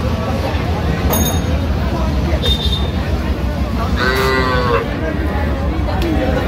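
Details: Sahiwal bull and heifer calves for sale at a Manikganj cattle market, Bangladesh, 10 September 2025. One short, buzzy moo stands out near the end over steady low traffic rumble and distant market voices.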